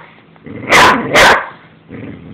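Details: An angry Boxer dog gives two loud, harsh barks in quick succession, with a man's voice telling it to stop before and after.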